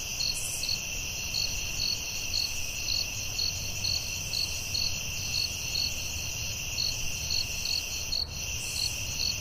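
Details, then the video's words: Forest crickets at night keep up a shrill, unbroken ringing with regular pulsed chirps about twice a second; a short high hiss at the start and a faint tick later interrupt it. "Soothing Cricket🦗 Sounds at Night"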